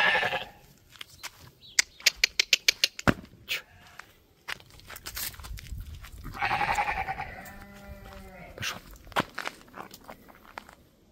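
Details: White Dorper ram lamb, Lot 1, shown and walked ahead of a 19 October 2024 auction: a burst of sharp applause-like claps, then a long wavering, tremulous bleat with rich harmonics, followed by a quieter trailing bleat.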